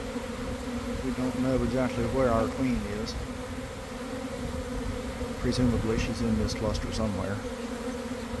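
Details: Honey bee swarm forming from a garden hive around one in the afternoon, after a week of cold, damp weather, recorded from inside the swarm: a steady, dense droning hum throughout, with a man's voice talking over it at intervals.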